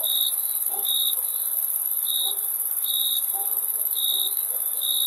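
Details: Crickets chirping: short, high, pure-toned chirps repeated at uneven intervals of roughly one second, over a steady hissing high background drone.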